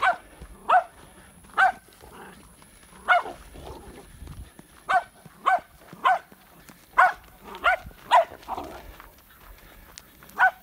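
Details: A 7-month-old Patterdale Terrier puppy in Florida, August 2019, bays a wild boar hog it found, giving sharp, high, ringing barks, singly or in quick pairs at irregular intervals of about a second.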